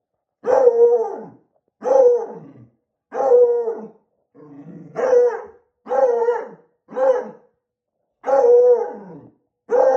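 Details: A Beagle puppy barking at a balloon: eight loud, harmonic barks with a falling, slightly howling tone, spaced roughly every one to one and a half seconds, with a softer growly bark in the middle.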